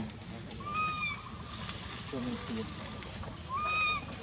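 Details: Baby monkey Lizza, wild in Angkor Park forest, calling its mother out of hunger with two long, steady, high whining cries several seconds apart, soft lower chatter between them.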